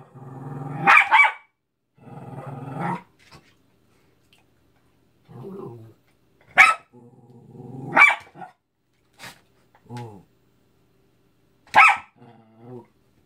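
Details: A Cairn Terrier attacking a Mickey balloon gives sharp, high barks mixed with low rumbling growls.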